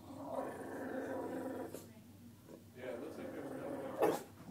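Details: Lucy, a female Bulldog, upset at an apparent impostor of herself in a picture: a sustained low rumbling growl for nearly two seconds, a short gap, then further grumbling and a sharp snort near the end.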